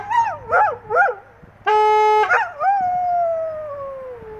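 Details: Several English Setters howl in a chorus: wavering, yodel-like notes that bend up and down, a brief steady held tone, then one long drawn-out howl sliding slowly downward to the end.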